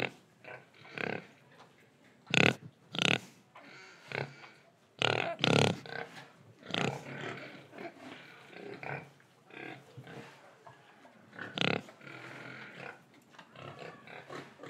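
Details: Pig in Indonesia, breathing and eating: short harsh grunting bursts in irregular clusters, some loud and broadband, others softer snuffles between them, over a quiet background.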